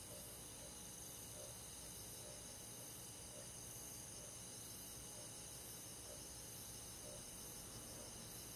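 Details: Many crickets calling through a rural summer night in the woods, a constant buzzy high-pitched trill with rhythmic pulses and short chirps recurring roughly every second, low hum underneath.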